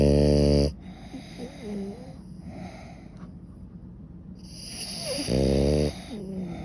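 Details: Suta, a pet French Bulldog, asleep and snoring heavily: a loud, rattling, deeply buzzing snore opens the clip, then quieter wheezy breaths, then another strong droning snore lasting about half a second before soft breathing resumes.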